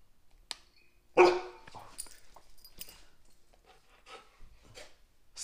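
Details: Indoors, a dog gives one loud, sharp bark, apparently on a "speak" command, followed by softer snuffs and small movement sounds; a faint click opens the clip.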